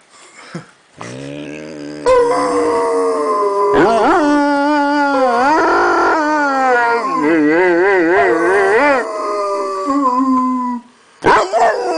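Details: A three-legged Rottweiler, an osteosarcoma survivor, lying in bed, howls in long, wavering, melodic tones that rise and fall like singing or crying.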